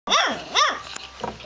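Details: Puppies crawling, cuddling and scratching: two quick high arched yelps, each rising then falling, followed by a softer faint squeak.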